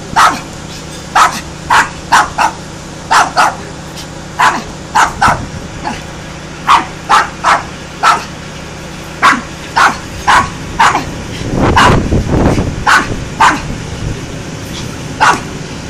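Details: Loud dog barks come in short, punchy bursts spaced roughly half a second to a second apart, with a brief rumbling noise partway through and a steady low hum underneath.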